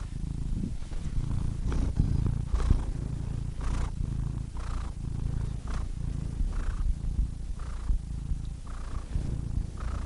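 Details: Cat purring in a deep, even rumble, with breathy inhale-exhale swells recurring roughly once per second over the low continuous vibration.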